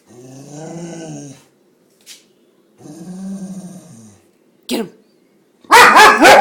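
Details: A pet dog given to sneezing fits after barking makes two long, tonal growling whines, with short clicks or snorts between them, then a sudden loud run of rapid, harsh barks or sneezes at the end.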